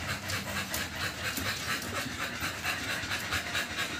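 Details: American Bully puppies about two months old, after a second 5-in-1 vaccination, breathing in rhythmic airy pants roughly twice a second over a faint constant low drone.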